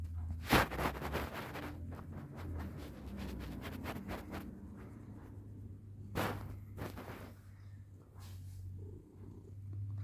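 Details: Domestic cat purring while being petted, a low steady rumbling drone running through the whole stretch, broken early by one sharp explosive sneeze; soft rustling and scattered clicks from handling follow.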